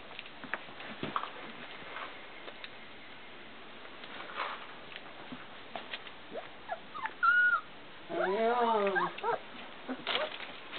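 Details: Four-week-old Bernese Mountain Dog puppies from Hitzacker, born 1 March 2010 and recorded 28 March 2010: a brief high whine, then a longer wavering, rising-and-falling whimper lasting over a second, amid soft rustling and handling noises.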